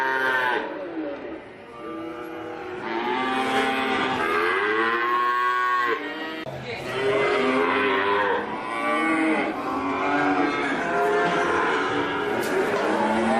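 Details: Cattle lowing repeatedly, overlapping bellowing moos that rise and fall in pitch, continuous throughout with brief dips between calls.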